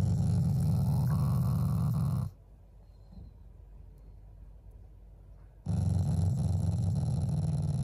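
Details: Affectionate Shiba Inu, a family pet, growls at its owners without any anger: two sustained low, vibrating growls, each a couple of seconds long, separated by a quiet gap of about three seconds.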